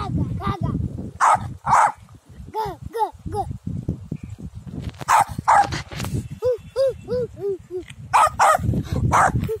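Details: A Pomeranian on a field gives sharp, high-pitched yappy barks in quick bursts of two to four.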